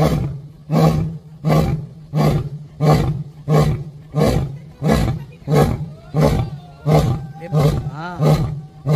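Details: An angry lion at Sepahijala Wildlife Sanctuary, Tripura, gives a series of deep, throaty roaring grunts a little under a second apart, possibly toward where food arrives.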